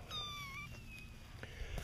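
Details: On September 7, 2010, a young kitten in a litter brought outdoors in a laundry basket gives a thin, high meow dipping slightly in pitch as kittens follow their mother to nurse.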